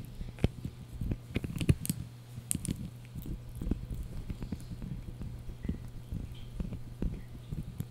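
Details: Yorkie puppy named Blue gnawing on a dried bunny ear inside, producing a steady run of short crunches and sharp clicking bites over a low constant hum.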